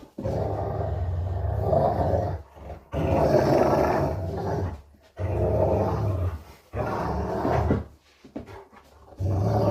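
Deep, throaty growls from a Rottweiler come in sustained rumbling bursts separated by short pauses. The growling is playful, made during a game rather than in threat.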